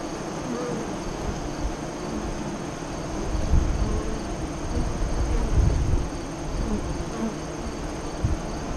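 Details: Honey bee hive entrance east of Lyons, Nebraska, filmed during the 2017 eclipse between 2:48 and 3:00 CDT: a continuous low buzzing of many bees, with a deep rumble and a few louder swells midway.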